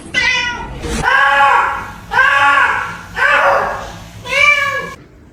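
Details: Cat meowing strangely indoors: four loud, drawn-out meows, each rising and then falling in an arch, repeated roughly once a second, with faint room noise between calls.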